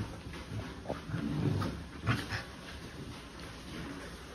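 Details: Young sibling puppies playing together, letting out soft whimpers and brief low grumbles, with one sharper yelp near the middle and light scuffling between them.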